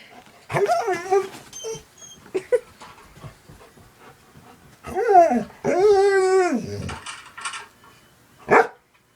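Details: Pet dog reacting indoors while watching cat videos: several long arching whines and howl-like yelps, the longest near the middle lasting about a second, ending in a sharp short bark, with quiet gaps between.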